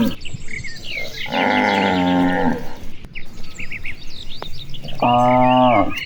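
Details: Dozens of cattle grazing and playing across wide rice fields on an afternoon: two long harmonic moos, the first lasting about a second, with twittering birds in the trees behind.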